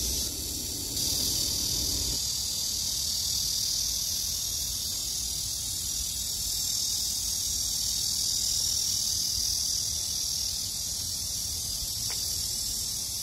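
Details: Summer cicada chorus: a continuous shrill, hissing drone that fills the high register throughout. A brief low tone is heard at the start, followed by a short click near the end.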